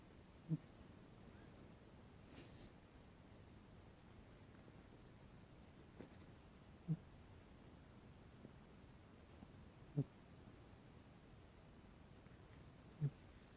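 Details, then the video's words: Emporess, a pet cat, snoring while asleep indoors: short, low, soft snorting breaths recur about every three seconds over a steady quiet room hiss, with a faint high tone in the background. "Cutest Cat Snore!"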